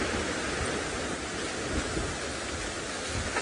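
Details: Steady broadband rushing noise like wind or surf fills the clip, with no animal calls heard.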